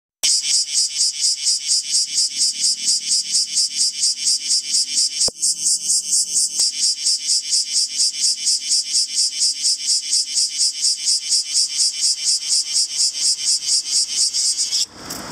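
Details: A bear cicada (Cryptotympana facialis) sings a loud, harsh buzzing song, vibrating its abdomen, pulsing about twice a second without pause.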